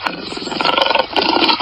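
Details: Lion roaring: a harsh, rasping, broad rumble held steadily for over a second, pulsing slightly in loudness, with no other clear sounds.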